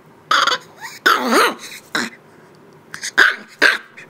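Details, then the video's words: Shiba Inu puppy, eight weeks old, showing who is boss: a few hoarse, cough-like yaps, one stretched into a wavering squeal, followed by two short sharp barks. "Shiba Inu Puppy barking and showing who the boss is 8 weeks old"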